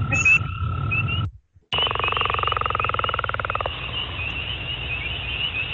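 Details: Spring peepers in the Guelph area give short, high, upslurred peeps, repeated steadily over a chorus background.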